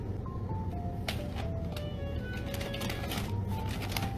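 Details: Tinkling chime-like melody resembling an ice cream van tune plays over a low rumble, broken by sharp clicks and taps, with no animal voice.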